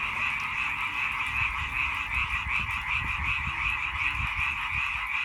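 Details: Dense chorus of frogs, with quick, throbbing croaks layered into a steady trilling wall of sound over a faint low rumble.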